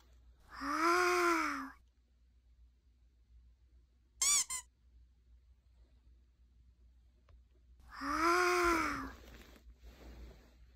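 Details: Puppy indoors making two long, low, arching whining groans about seven seconds apart, with a sharp high squeak between them; a quiet room otherwise.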